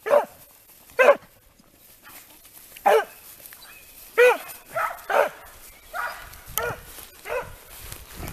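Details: Italian Segugio scent hounds working a hare in training, baying in open, ringing yelps, several dogs overlapping, irregular bursts roughly every second.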